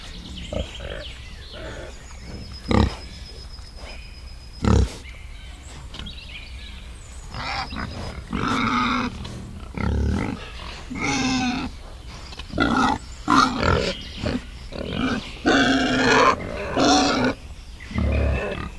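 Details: Wild boar with piglets in a forest: a few sharp knocks early on, then rough grunts and squealing bursts in quick uneven runs, growing busier toward the end over steady low background noise.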